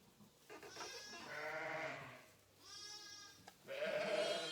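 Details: In March at lambing time, in a barn on a sheep ranch in Saskatchewan, Canada, hungry sheep bleat loudly in a string of wavering, nasal baa calls.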